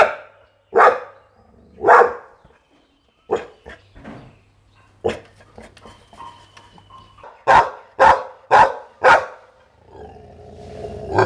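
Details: Pit Bull barking in loud, broadband bursts: two spaced barks, a few softer ones, then a tight run of four sharp barks, with a low steady hum and faint background noise between.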